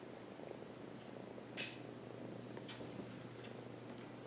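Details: Pet cat resting on a lap and purring, a continuous low buzzing rumble in a small room, broken once by a sharp clink and a few faint taps.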